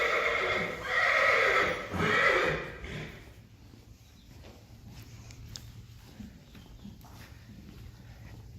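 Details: Friesian horse in a herd, a mare with her filly born the previous day, recorded in early March 2020; a loud harmonic whinny in two surges during the first two and a half seconds, then quiet stable sounds and faint knocks.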